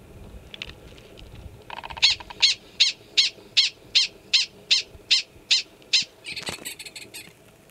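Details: Yearling male Gunnison's prairie dog giving its alarm call at Valles Caldera National Preserve, New Mexico, in April 2017: a rapid run of about a dozen clipped, high barks, roughly two or three per second, over faint background hiss.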